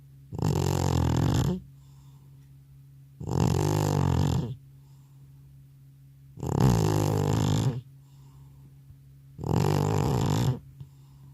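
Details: Aged pet cat, exhausted and asleep after coming home from the vet, snores in four loud, gravelly pulses, each about a second long and spaced roughly three seconds apart, with faint breathing and a low hum between.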